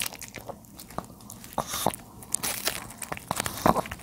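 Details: An elderly male dog named Charlie, 13 years old, bites into napa cabbage leaves. Crisp snapping crunches arrive in quick bursts with short gaps between them, set in a quiet indoor space.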